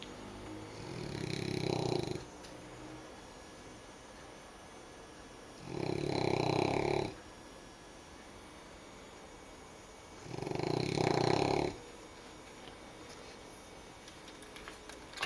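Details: French Bulldog puppy snoring while asleep after hard play: three loud, rumbling, rasping breaths about every four to five seconds, each lasting over a second, with quiet hissing exhales between.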